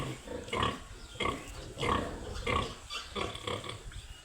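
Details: Piglets on a pig farm giving rapid squealing grunts, about six harsh bursts in four seconds, each with a brief higher-pitched tonal core, evenly spaced.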